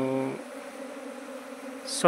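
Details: Honey bees from a beekeeper's hive, described as the seventeenth arrival this season. A brief harmonic tone fades into a steady low buzzing hum, which ends with a sharp knock.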